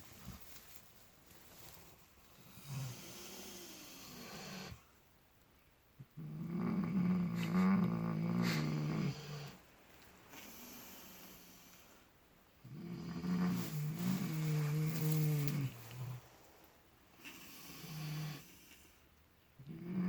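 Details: Two miniature potbellied pigs sleeping in fresh straw snore in low, rasping bursts with quiet pauses between breaths, relaxed and seemingly dreaming.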